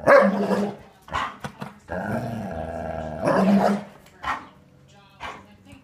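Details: A pet dog barking at its owner in play: a loud bark at the start, short snorts, then a sustained wavering growl, another bark-growl burst and a few short sharp yaps.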